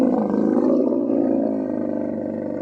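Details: Camel in the mating season, Tharparkar, Sindh, Pakistan, making one unbroken, loud, rasping roar that bubbles and throbs steadily, holding almost level throughout with only a slight fade.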